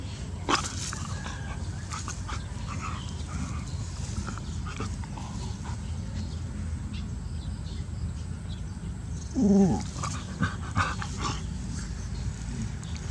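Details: Pet puppy at home gives a single short whiny yelp near the end, a brief harmonic cry over constant low rumble, with scattered knocks and clicks throughout.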